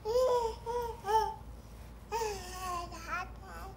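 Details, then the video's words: Crawling male fox playfully making odd noises, July 31, 2017: a run of wavering, nasal whines, three short ones, a pause, then a longer falling wail breaking into quick rising yips, with a steady low hum behind. "Fox Makes Weird Sounds"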